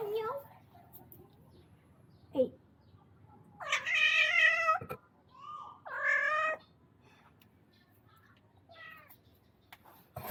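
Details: A visiting male cat, drawn by food and by a spayed female cat, described as upset and strange-sounding: two long, loud, harmonic wailing meows near four and six seconds, the second rising then falling, with a short faint call later and a brief human voice.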